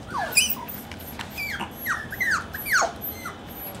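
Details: Eight-week-old Maltipoo puppies at play indoors give a run of high, thin whimpers and squeaks, each sliding steeply downward, several in quick succession over a few seconds with brief pauses between them.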